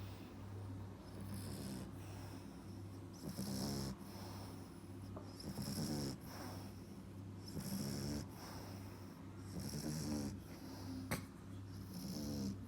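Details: Snoring French Bulldog puppy aged four and a half months, each breath a rough, fluttering snort followed by an airy hiss, about 27 breaths a minute, with a steady low background hum.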